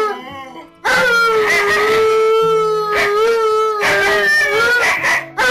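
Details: Alaskan Malamutes at home, caught on home surveillance cameras, reuniting with their returning owners. A long, steady howl holds a fairly even pitch with slight wavers, broken by short gaps, over background music.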